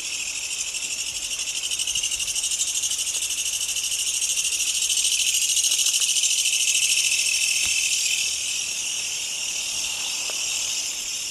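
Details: Kutsuwamushi katydid, probably, calling near the recordist's home: a loud, dense, shrill buzzing rattle made of rapid pulses, held steady for the full eleven seconds. Faint soft ticks sit underneath.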